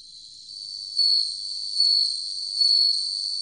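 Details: High, steady bell cricket ringing from the National Institute of Biological Resources, 2020. The tone rises gradually, then pulses louder three times at regular intervals of under a second, in an otherwise quiet background.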